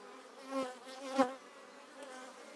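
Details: Honey bees and drones flying close past the entrance of a top bar hive colony being split; loud individual buzzes swelling and fading as bees pass, over a constant colony hum.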